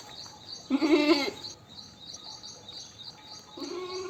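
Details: One strong, quavering goat bleat of about half a second, followed by a faint, low bleat at the end, against a hiss of high insect chirping.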